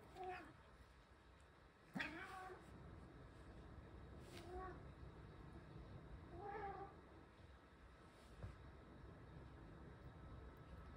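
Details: Ragamuffin cat, lonely, coming into the bath after its owner, calling in a series of short, soft meows about every two seconds, some faint and partly masked by room noise and steady low hum, with a brief knock.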